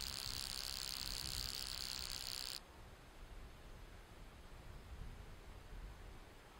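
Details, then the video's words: Stenobothrus rubicundulus grasshopper calling song, recorded 13 July 2013 at Cosia, Romania, made by beating the hindwings against each other: a dense, steady high buzzing hiss lasting about two and a half seconds, then cut off abruptly, leaving faint low rumble. "Stenobothrus rubicundulus, calling song"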